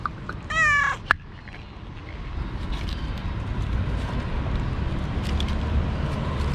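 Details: A mother cat with four mischievous kittens, which she refuses to nurse. One loud, clear, wavering meow of about half a second comes early, followed by quiet rumbling background and faint clicks.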